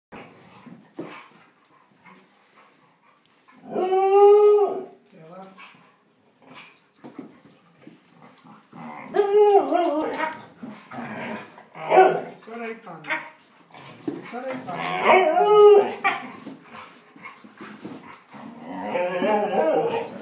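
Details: Dogs scrapping: bursts of snarling and harsh growls, with a few high yelping cries between quieter pauses, in a small indoor space.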